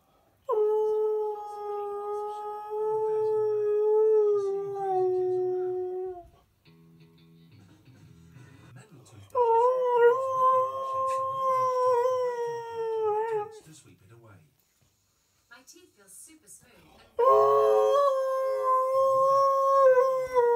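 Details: Young husky puppy howling in response to a person's howl attempt, indoors: long sustained steady howls, a lower drawn-out tone, then higher wavering howls later, with faint background music between phrases.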